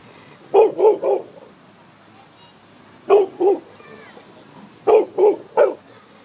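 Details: An angry Chow Chow barks at a flying object in quick bursts of three, then two, then three sharp woofs.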